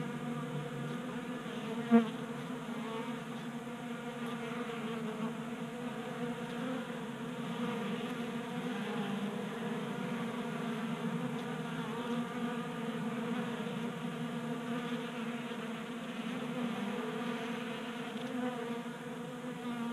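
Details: Honey bees crowding a table-top 3D printed feeder in a garage in Colorado in January, staying active in late warmth; even, sustained low hum of wingbeats with one short sharp tap early on.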